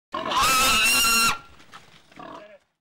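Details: Domestic pig at a January 2008 village pig slaughter in Hungary; one loud harsh squeal held for about a second, then quieter grunting noises.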